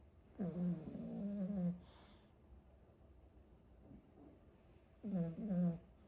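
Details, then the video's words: A pet dog snoring indoors: two drawn-out, nasal, tonal snores of about a second each, slightly wavering in pitch, separated by a quiet gap of roughly three seconds with faint breathing in between. "무슨 강아지가 코를 이래골아"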